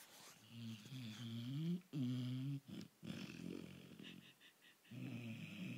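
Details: Sleeping pet dog snoring indoors: low, buzzy, wavering breaths of one to two seconds, rising and falling in pitch, with short pauses and a few faint higher clicks between them.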